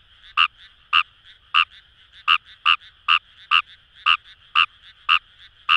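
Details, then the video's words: Fejervarya kawamurai croaking among rice paddies by the Kamo River in Itoshima, Fukuoka: about a dozen abrupt, knocking notes at irregular half-second intervals, quieter frogs calling in the background. "Wild Frog Call | ヌマガエル"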